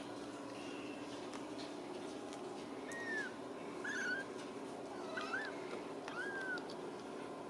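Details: Ragdoll kittens raised in a home cattery in central Kansas, mewing softly: several thin, high arched meows spaced about a second apart over a steady background hiss.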